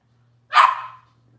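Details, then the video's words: A single sharp, high puppy yip from Robin's litter of Cavalier King Charles Spaniels on a kitchen livestream, fading quickly, over a faint low hum. "Cavalier Puppy Live Stream: Robin's Puppies"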